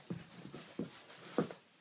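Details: German Shorthaired Pointer in an office answering commands to sit down and play dead with three brief, low, throaty huffs spaced about half a second apart, the last one loudest.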